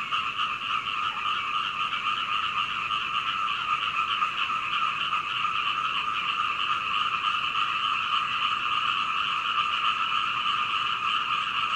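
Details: Night frog chorus recorded from an upstairs window at home in Hunei, Kaohsiung, Taiwan, with a Canon PowerShot SX720HS; many frogs croaking rapidly and continuously, an unbroken layered drone of overlapping calls.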